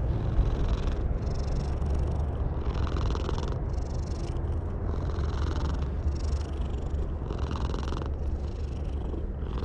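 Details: Stray cat on top of a wall, purring while being petted, filmed on a GoPro HERO8: a low continuous rumble with soft breathy pulses recurring roughly every second.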